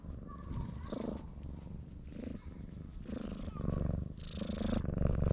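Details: Stray cat begging for affection, pressed against someone's legs, purring at high volume on a GoPro HERO8: a rough rhythmic rumble in repeated breath cycles, growing louder toward the end, with some rustling of contact.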